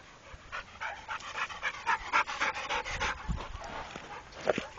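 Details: Rako, a trained pit bull, pants in quick breathy bursts, close to four breaths a second, steady and rhythmic with a hoarse, airy texture and a louder gasp near the end.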